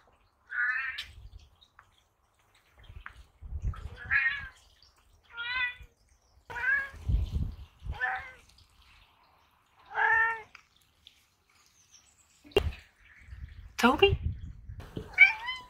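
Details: Two Ragdoll cats give a run of drawn-out, harmonic meows, each about a second long, asking for the barn door to be opened; pond sounds in the background.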